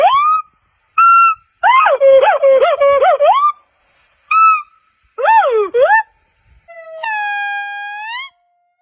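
A monkey gives clear whistled calls, some rising sharply and others wavering rapidly up and down.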